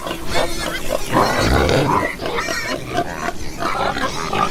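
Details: Pigs snorting and grunting in a steady rough stream, low and guttural, with occasional brief higher squeaks over the murmur.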